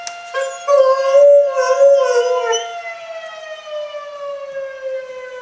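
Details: Pet dog Oscar joins a fire alarm with a loud, wobbling, harmonic howl that holds for about two seconds and then fades, while the alarm's steady tone carries on to the end.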